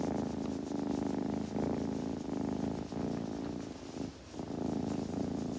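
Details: A purring kitten, rumbling low and rhythmically, briefly dipping quieter around the fourth second before resuming strongly, with faint rustles throughout.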